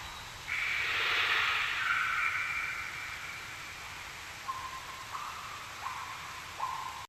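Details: In a jungle ambience, a harsh, rushing screech gives way to a run of short, clear monkey hoots spaced under a second apart.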